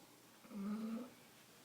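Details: A bulldog named Riley asleep on a couch indoors gives a single drawn-out, low, tonal snore lasting about half a second, in a quiet room.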